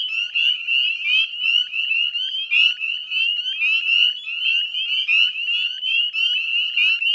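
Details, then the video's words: Spring peepers calling together at 9 p.m. dusk, 18 May 2020, West Chezzetcook, Nova Scotia marsh edge: crowded, piercing peep notes rising in pitch, pulsing and overlapping without pause. "Northern Spring Peeper Chorus"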